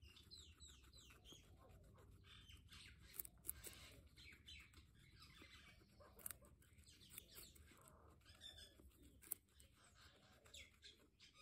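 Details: Guinea pigs, pets, giving a quick run of high, arched squeaks in the first seconds, then scattered shorter squeaks and soft clicks over steady rustling and low background hum.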